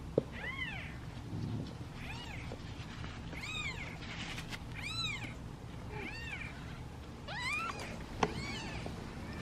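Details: Impatient kittens waiting in a basket for their meal repeat short, arched, high meows roughly every second or so, fairly soft over a steady low background hum with occasional knocks.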